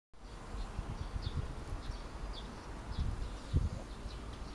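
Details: A sleeping Shiba Inu snores in low, rough, buzzy rumbles, with faint high chirps far behind.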